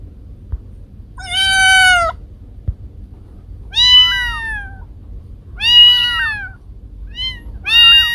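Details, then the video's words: Kiko and Koko, the owner's own cats: four long, loud meows, the first held steady and flat, the later ones bending and wobbling in pitch, with a couple of soft knocks between calls. "Cat sounds to scare mice away"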